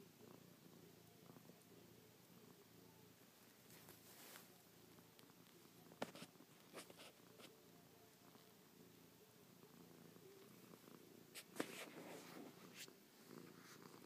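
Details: Chloe, an affectionate pet cat, keeps up a soft continuous purr while pawing and licking her owner's face, with occasional crisp rustling and tapping noises breaking through.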